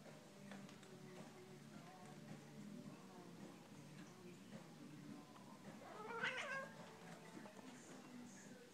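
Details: A female Siamese cat, described as very chatty, gives a short, rising, nasal meow while a person talks quietly nearby, asking whether she sees a squirrel.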